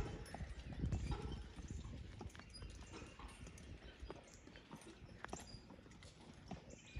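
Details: Driven Percheron horse, hoofbeats thudding in quick, uneven succession beneath continuous low rumble and hiss.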